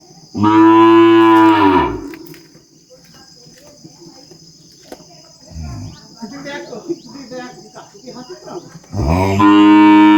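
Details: Calf on a farm bellowing and mooing: two loud, harmonic-rich bawls, one at the start and one at the end, with a constant high insect-like whine throughout and softer scattered sounds between.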